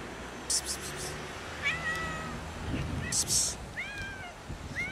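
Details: Angry domestic cats fighting and arguing over food: short wavering yowls around two and four seconds, separated by brief noisy bursts, with a low background hum throughout.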